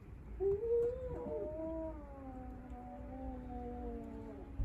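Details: Drawn-out, low wavering yowl from a cat in a Japanese multi-cat home where five rescued cats sunbathing suddenly face a stray, the only male confronting it; the moan slides gently downward over several seconds with faint background rumble.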